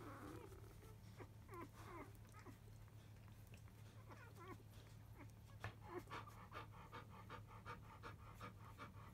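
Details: Newborn field-line Labrador Retriever puppies, five days old, in the early afternoon after nursing: a few squeaky whines early on, then rapid rhythmic panting or licking noises through the last seconds, with a constant low hum underneath.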